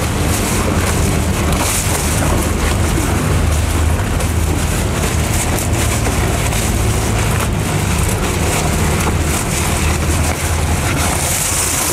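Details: Loud, constant rumbling wind and engine-like noise fills the recording, with no animal calls.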